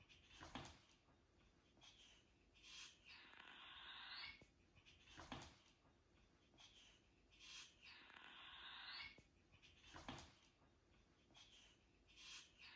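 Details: A European polecat (Mustela putorius) hisses at a dog, giving breathy, broadband hisses in bursts with softer puffing sounds between them.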